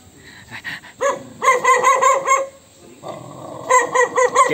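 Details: Dog angry at an annoying sound, uttering bursts of short tonal yelping barks in two groups separated by a pause with a steady hum, each group several rapid, uneven calls, with a faint constant high hiss.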